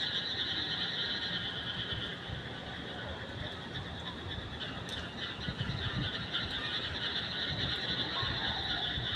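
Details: Frogs calling at night: a dense, steady chorus of trilling notes layered in two bands, a middle one and a brighter high one, running unbroken throughout, with faint low rumbling underneath.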